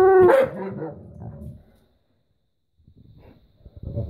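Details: Alaskan Malamute and Husky pet dogs asking for breakfast: a loud, rising, harmonic yowl-bark that slides upward then trails off into grumbling over about a second and a half, followed by quiet, then faint shuffling and a soft voice.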